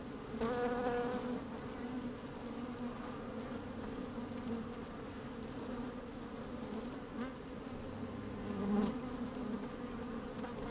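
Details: An opened beehive on a sunny day with the microphone down among honey bees at work: a steady droning hum, a brief higher whining buzz near the start, and a louder buzzing surge close to nine seconds.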